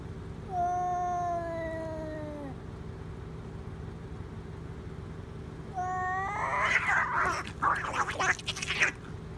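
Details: Two cats fighting outdoors, met while hiking: long, steady harmonic yowls held about two seconds, a pause, then another rising yowl that breaks into harsh, noisy screeching and spitting bursts over a low constant hum.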